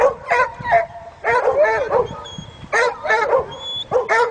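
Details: Dogs stuck in a canoe carried by the current bark nonstop for help as a black Labrador swims to tow them ashore; loud, hoarse barks in quick groups of two or three, a man calling encouragement between them.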